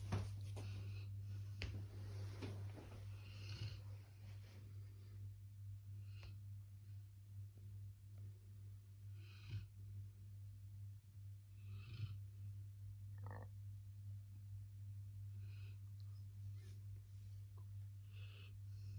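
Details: Sleeping Labrador Retriever snoring indoors: soft, raspy breath bursts every two to three seconds, some louder snorts, over a steady low electrical hum.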